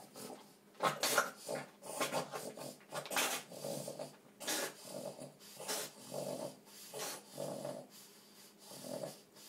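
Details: Piper, a two-year-old male Boston terrier with epilepsy, during one of seven seizures in three hours one night, indoors: harsh, noisy snorting breaths and gasps in uneven bursts, some loud and broadband, with rubbing and scratching between them.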